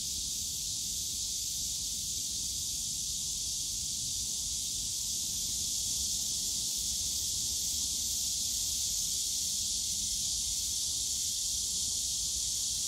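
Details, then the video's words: Cicadas in the bamboo grove of Yongsan Family Park on a summer day: a dense, steady high hiss of many insects, unbroken and even in loudness throughout, with faint low park rumble beneath. "용산가족공원 대나무숲 매미소리"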